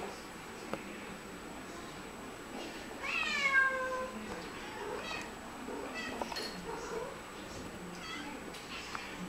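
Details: A Siamese cat, one of two talking to each other, gives one strong, long, bending meow midway, followed by fainter shorter meows against a quiet, steady background hum.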